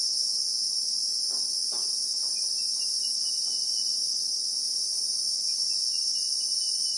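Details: Christmas beetle (Anoplognathus) in South African bushveld with acacia trees, recorded in real time: a steady, shrill continuous drone high in pitch, with a faint thin whistled trill and a few soft low thumps underneath.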